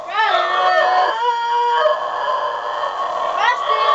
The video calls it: basenji howling